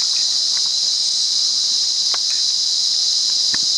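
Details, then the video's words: Cicada singing in the wild at Monaragala, Sri Lanka: a steady, unbroken high-pitched hiss-like drone holding constant throughout, with a few faint clicks and rustles scattered beneath. "Amazing Cicada Life Cycle"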